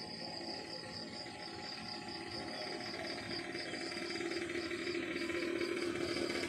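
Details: Countryside crickets in the morning give an evenly spaced series of high, pulsing chirps, about three per second, over a soft background hum.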